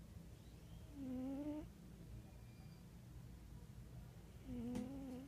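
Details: A pet cat called Wera asleep and snoring, with two whistly, nasal snores about three and a half seconds apart, each gently rising and under a second long, over a low steady indoor hum.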